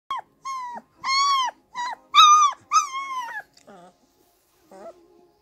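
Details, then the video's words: Two-week-old Irish Wolfhound puppy howling, a run of short thin wailing notes that rise and fall, each under a second, ending with quieter whimpers; a little music in the background. "Baby Lola howling 2 week old Irish Wolfhound"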